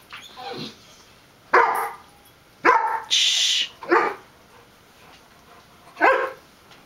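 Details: Pet dogs Adina, a terrier mix, with Filé, a golden retriever, and Sanford, a chocolate Lab–Weimaraner mix, playing together: five short, sharp barks and yips spaced roughly a second apart, with a brief hissing burst among them.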